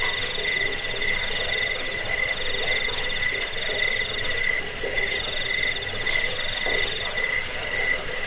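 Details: Crickets in steady chorus, a recording meant for repelling rats, sleep and training caged birds: piercing high chirps pulsing about once or twice a second over an unbroken ringing trill.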